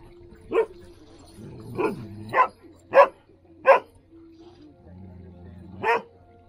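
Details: Standard poodle barking while playing in the water on a hot day in Ketchum, Idaho; six sharp single barks spaced irregularly about one second apart, over low background hum.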